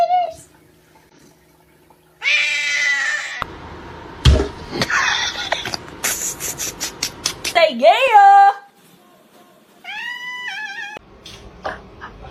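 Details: Kitten or cat meowing in a funny pet compilation, several harmonic meows: a bright rising-falling one near the middle, a wavering drawn-out one near the end, amid voices, music and laughter indoors.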